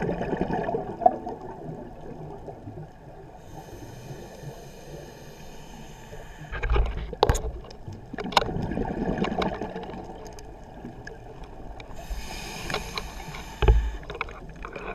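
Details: A pistol shrimp biting a brass clip gives several sharp, broadband cracks, each a single loud snap, spaced irregularly a second or several apart, over a low rumble and gurgle of moving water.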